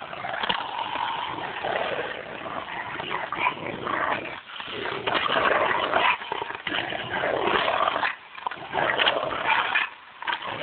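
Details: Pair of Rottweilers at play: continuous raspy, throaty growling with snorting and whimpering notes, rising and falling in intensity with a few short pauses.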